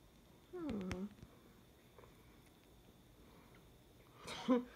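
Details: Exotic Shorthair kitten a few weeks old, raised by a breeder, gives a short harmonic meow that rises then falls, followed after a quiet pause by a second brief, sharper mew near the end, in a small indoor room.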